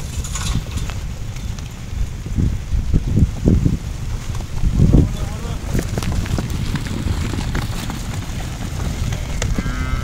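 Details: Weaned crossbred calves, 2015: a few short, low lowing calls rise out of steady outdoor rumble around the middle, then the herd falls quieter while wind-like noise continues.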